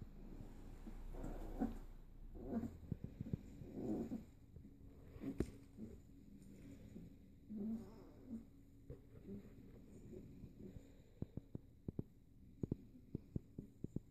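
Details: Kuvasz–Golden Retriever cross puppies, a litter born 11–12 May 2014, at a puppy play session on 3 June 2014. Low rumbling growls come in short bursts through the first four seconds, then scattered clicks and taps follow in a quiet room.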